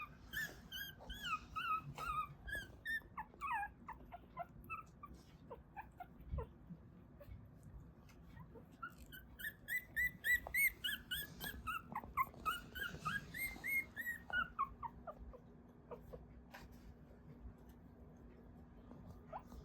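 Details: Dreaming newborn Mame Shiba puppies from Isa, Kagoshima, Japan utter quick high squeaky peeps and whimpers, bursts of rapid chirping cries around the middle, quieter scattered squeaks afterward over a steady low room hum.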